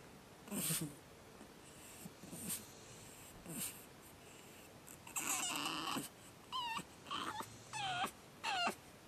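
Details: Pug puppy Batman, second night, crying with hoarse breathy squeals that turn into short, high, sharply bent yelps repeated roughly twice a second, against a faint hissing background.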